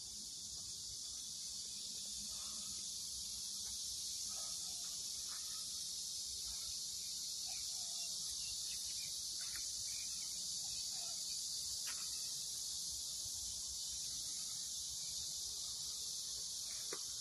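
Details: Cicada calls at a home garden plot with corn already in ear, heard as a steady, piercing buzz that never pauses, with a few faint short chirps and ticks mixed in beneath.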